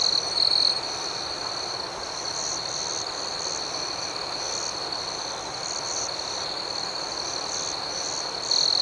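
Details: Crickets chirp through the night in an unbroken, shrill, pulsing chorus, louder at the very start and again just before the end.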